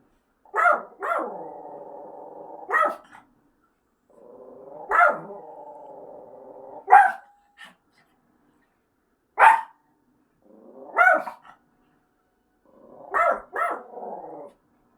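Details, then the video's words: Pet dog reacting to staged siren signals during an apartment fire inspection, barking at the speaker: sharp barks, often in pairs, spaced irregularly over fifteen seconds, with sustained low growling hums between some of them. A quiet indoor room. "아파트소방점검있던날 사이렌소리에 반응하는반려견"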